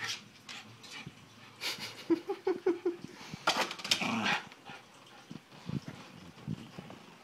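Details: A Miniature Schnauzer playing basketball goes nuts, giving quick, high yips and short barks in a rapid burst amid thumps and clatter.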